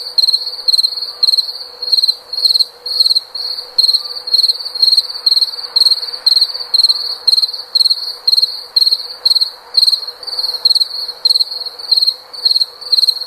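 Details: Cricket chirping steadily: short, bright, high-pitched pulsed chirps repeated about twice per second in an even rhythm, with a faint lower hum underneath and no other clear sounds.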